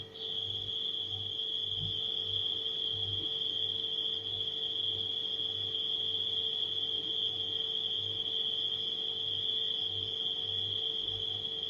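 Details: Gentle nighttime cricket chorus as one continuous high-pitched trill, accompanied by the steady low hum of a refrigerator with a faint rhythmic throb, a brief soft knock near the start.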